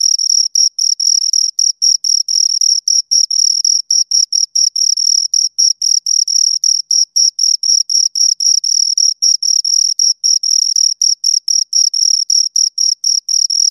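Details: Continuous chirping from two crickets: sharp high-pitched pulses in quick succession, several per second, sometimes run together into brief trills, with nothing else audible.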